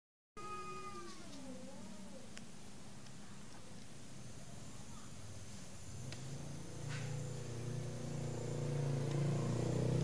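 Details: Domestic cat in the morning, calling because it wants to mate: one drawn-out, wavering meow with a rising then falling tone over the first two seconds, followed by steady low rumbling background noise that grows louder.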